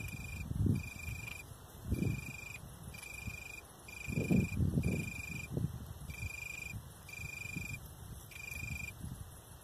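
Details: A male Italian tree cricket (Oecanthus pellucens) sings soft, clear trills in half-second bursts with short gaps, from bushes above a horse paddock in Mücke-Ruppertenrod, central Hesse, Germany, around 21:00 on 18 August 2018.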